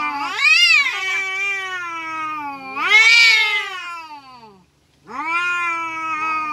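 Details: Kampung cats in a fight: two loud rising yowls that bend upward and sag slowly, followed by a short pause and a steadier, lower moaning wail.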